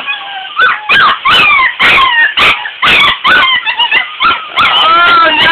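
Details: Puppies getting a bath and not happy about it give high whimpers and yelps in quick bursts with short gaps, over a woman's soothing voice and splashing water.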